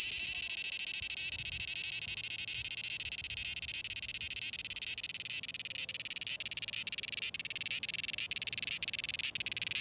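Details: Cicadas singing vigorously in summer 2020: a dense, shrill, high buzz with a rapid pulsed texture, broken by brief dips that come more often toward the end.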